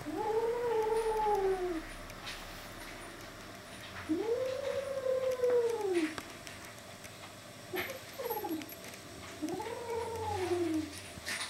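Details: Furry kitten trying to get away with a toy, responding to threats with owl-like sounds: three long, low, arched hooting wails roughly every four seconds, smooth and tonal, with soft background noise between them.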